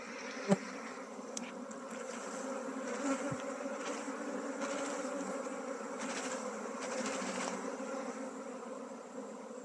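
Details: Honey bee colony being rehoused from a traditional log hive into a modern hive in Nepal. A dense, steady buzzing drone runs throughout, with one sharp click near the start.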